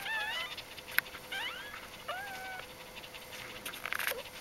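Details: Newborn dog puppies from Aris's G litter during their first four days of life, early October 2012: three high, wavering whimpers that slide up and down in short bursts, with a faint steady hum and scattered soft clicks.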